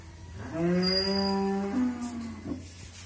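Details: Pregnant Friesian heifer awaiting her first calving, kept on a modern dairy farm in Bhangura, Pabna, Bangladesh, gives one drawn-out, deep moo of about one and a half seconds that lifts slightly and then sags, over a steady background hum.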